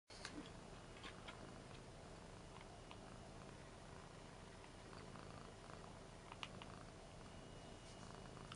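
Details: Indoor pet cats, a 7-year-old Ragdoll surprised at seeing a 13-year-old American Shorthair printed on a T-shirt: steady low rumbling purr running throughout, quiet, with faint clicks and room noise.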